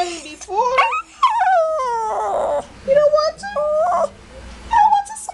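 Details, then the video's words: Indoor pet Shih Tzu protesting a bath and being made to smile, giving wavering, moaning whines that rise and fall in several separate bursts, with short gaps between them in a small room. "Shih Tzu complains about smiling & bath"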